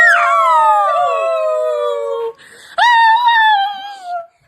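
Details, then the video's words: Dog singing: two long howls, the first starting high and sliding down then holding a steady tone for about two seconds, the second rising sharply then held and gently wavering, with a short gap between. "Dog singing."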